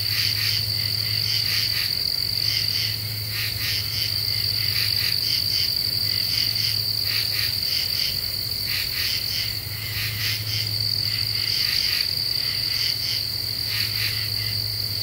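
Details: At night in an Ozarks deciduous forest, Eastern U.S., in July 2013 with a half moon, common true katydids give harsh clustered rasps in twos and threes, repeating over a steady high-pitched insect drone and a low background hum.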